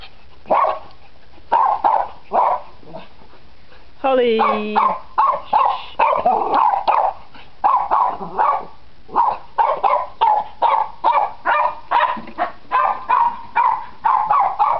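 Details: Playing Cairn Terrier pups, nine weeks old, bark in a quick steady string of sharp yaps, roughly two or three per second, with a brief whining squeal near the start.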